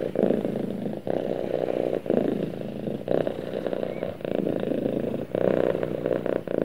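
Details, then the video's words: A cat cuddled up with its owner gives a low, throbbing purr in breath-length pulses about a second apart, each separated by a brief soft gap. "Cute Cat Snuggles With Owner And Purrs"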